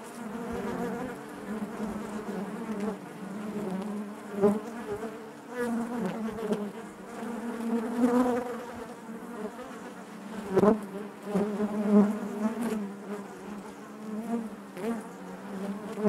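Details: Honey bees humming within the hive, a thick, unbroken drone with rich overtones that shifts gently in pitch and volume, punctuated by brief louder buzzes of nearby bees over about sixteen seconds.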